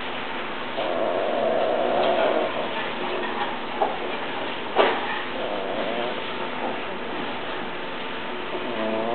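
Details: Tibetan Mastiff whimpering indoors: a thin, steady high whine held for over a second, then shorter wavering whines later, over a constant room hum with soft knocks and scraping.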